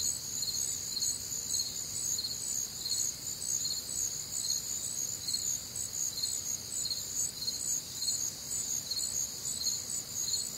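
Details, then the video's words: Night chorus of crickets recorded on a humid, warm Midwestern summer night, high shrill pulsed chirping layered in several pitches, beats repeating roughly twice a second throughout, steady and unbroken. "Night Time Cricket Sounds"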